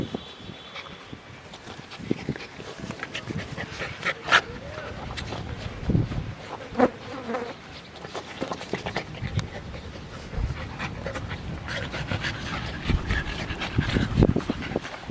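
Siberian Husky puppies play fighting, with rough little growls and grumbles over scuffling and clicking noises.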